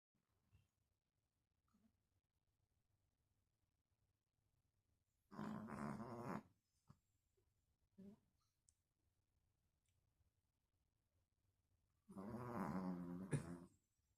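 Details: Dog snoring indoors: two loud, rough, rumbling snores, one about a second long and one about two seconds, separated by quiet breathing and small snorts.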